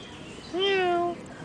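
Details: A four-week-old kitten gives a single drawn-out, slightly falling meow lasting about half a second, rich in harmonics, against quiet room background.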